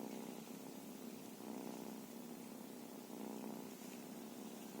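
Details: Feral cat purring: a steady low rumbling drone that swells and eases in slow breath-like waves, with faint background hiss.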